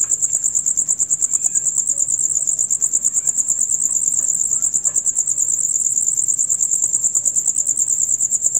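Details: Male crickets in their dusk-to-dawn concert: a shrill, fast, continuous pulsed chirping, very even, roughly three beats per second, with nothing else audible.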